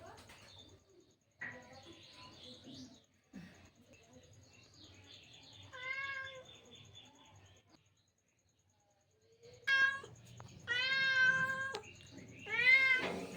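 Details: House cat that came to a person in the morning while tea was being drunk, giving several drawn-out, rising then falling meows in the second half, with faint background noise and a quiet voice earlier.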